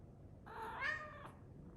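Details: A Scottish Fold cat, purring while sleeping on its back in the kitchen, gives a brief, tonal meow-like sound that rises and then falls.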